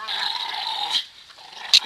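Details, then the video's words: Two pet dogs playing and fighting over a rope, giving a sustained tense whining growl with a thin high edge for about a second, then a brief gap and a sharp short burst near the end. "dog play"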